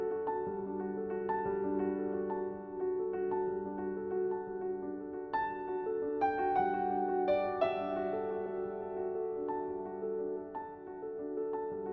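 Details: Gentle piano music plays throughout, with held chords and a slow melody and no animal sound.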